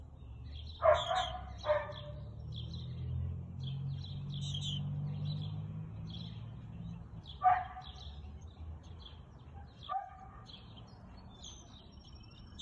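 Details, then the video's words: Husky barking on 2 April 2022 at 2:57 pm: a few loud, sharp barks spaced several seconds apart, the first two close together, over steady chirping of small birds and a low background rumble. "Husky Barking"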